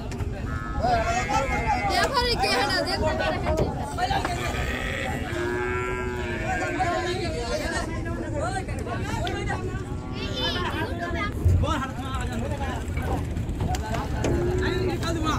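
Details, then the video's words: Cattle, including big bulls, being unloaded from a boat at the Gabtoli cattle market in 2022; repeated drawn-out moos, some rising and falling, overlap with steady crowd chatter and men's voices throughout. "নৌকা থেকে গরু নামা দেখুন | Gabtoli Gorur Haat 2022 Today | Big cow | Big bull"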